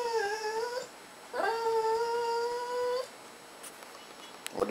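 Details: Goldy, a talking pet dog, answers a command with two drawn-out tonal whines, a short one then a longer, level one of nearly two seconds, both rising slightly at the finish; faint clicks and a person's voice follow indoors.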